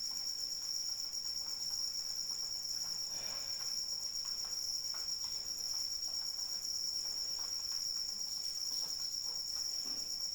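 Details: Crickets calling during rain: a steady, shrill high-pitched trill runs unbroken with faint overtones above it, while soft broadband rain patter fills the background throughout.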